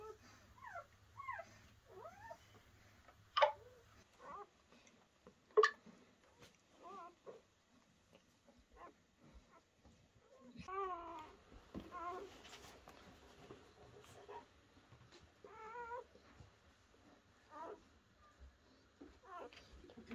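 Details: Newborn German Shepherd pups whimpering during Betty's first night of giving birth, in a dimly lit room. A series of short, quiet, bending squeaks comes every second or two, then softer mewling further on, with a few louder clicks and knocks.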